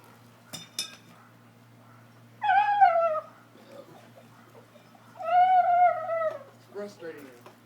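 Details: Brindle Boxer dog, kept as a pet, holding a horseshoe in his mouth and making a ridiculous noise: two drawn-out, wavering whine-like moans of about a second each, then a short broken yelp, with brief clicks and quiet indoor voices.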